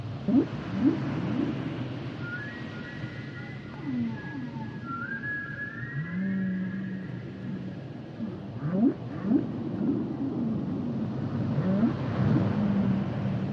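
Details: Humpback whale song: low moaning upsweeps and grunts around a steady rumbling underwater background, with thin whistled notes sliding high above, including one long rising whistle midway.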